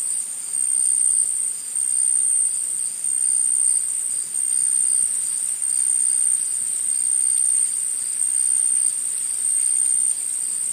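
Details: Steady, shrill insect chorus in the forest, a thin high trill that barely varies in loudness across the whole stretch, only briefly dipping a few times, over a faint hiss.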